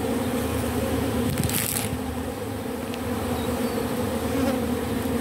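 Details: Robber bee gathering propolis from matchsticks to reuse it, giving a continuous low buzzing hum with a steady drone and an overtone above, plus a brief faint rustle midway.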